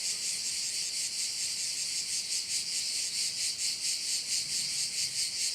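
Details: Crickets heard from a Korčula bay in Croatia, their massed high shrilling forming an unbroken wall of sound with a looser, uneven throb of pulses.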